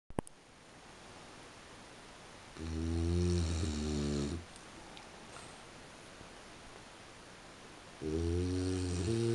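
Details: French Bulldog asleep indoors at 3:45 in the morning, snoring in two rough, droning low bouts of under two seconds each, separated by about four seconds of quiet room hiss.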